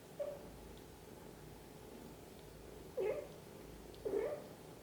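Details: Mother cat tending each of her kittens: three short, soft mews, the last two rising then falling, spaced about a second apart against low steady room noise.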